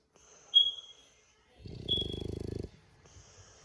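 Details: French Bulldog snoring. Thin high whistling tones through the nose are followed by a short, pulsing, rattly snore lasting about a second, then quiet breathing.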